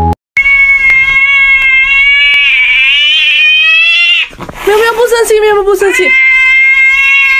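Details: Angry domestic cat, upset at being stopped from biting, gives a long, steady, drawn-out yowl that wavers slightly. It breaks off briefly into a harsher, choppier cry, then resumes the sustained tone.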